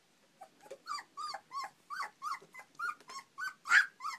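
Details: European Basset Hound puppies, four weeks old, playing in the morning just after breakfast; loud, close, whiny yelps with bent, arching pitch, repeated roughly every third of a second in a steady string.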